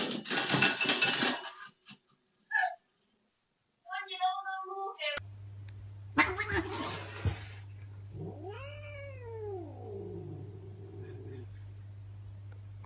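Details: Domestic cat giving a single drawn-out meow that rises then falls in a smooth arch, preceded by scattered shorter chirpy sounds and a burst of noisy rustling, over a steady low electrical hum.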